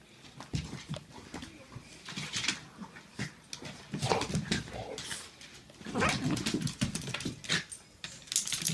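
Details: Two pet dogs, a Pitbull and a Jack Russell Terrier, fighting: irregular bursts of harsh, noisy growling and snarling with sharper yelping cries, loud peaks clustered around the fourth and sixth seconds.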